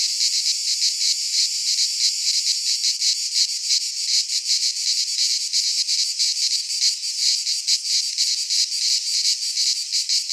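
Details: Chorus of cicadas in a pine forest in Greece at midsummer, a loud unbroken high buzzing that throbs in quick irregular pulses, filling the whole recording without birds or voices.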